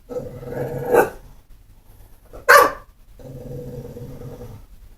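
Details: A pit bull, not mean or vicious, grumbling in a low drawn-out tone around two loud broadband barks about a second and a half apart.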